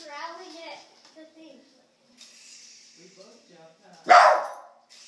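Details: Pet dog barking at a remote control helicopter. Human speech comes first, then a single abrupt, forceful bark near the end.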